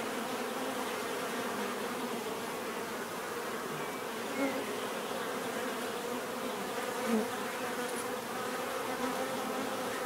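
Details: Many bees buzzing steadily together, a dense continuous drone with layered hum bands and a few brief louder passes as single bees fly close; no other sounds stand out.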